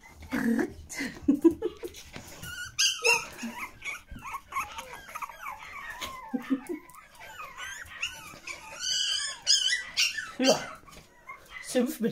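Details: Pomeranian puppies with their mother, kept indoors as pets: a dense run of high, squeaky whimpers and short yelps, rising and falling quickly, nearly continuous, with a woman talking in German over them.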